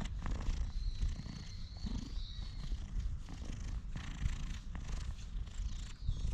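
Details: Deep purring from a friendly stray cat as it is stroked, captured on a GoPro HERO8. The rumble pulses steadily under crackling handling sounds, and a faint high whistled chirp is heard in the distance.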